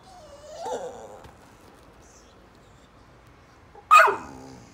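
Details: Adopted rescue Ridgeback Staffordshire Bull Terrier cross, a female born 2012, bored and seeking attention on a sofa at home: a soft rising whine, then after a pause one sharp loud bark.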